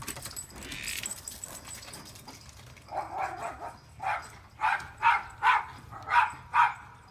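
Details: Manchester Terrier named Kesha chasing an invisible squirrel: after soft snuffling, a run of short, sharp mid-pitched barks builds up, coming roughly every half second and growing louder toward the end.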